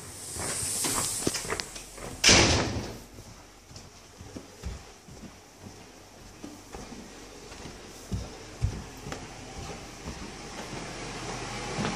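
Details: A door slams amid hissing room noise and scattered soft thuds, with no animal calls.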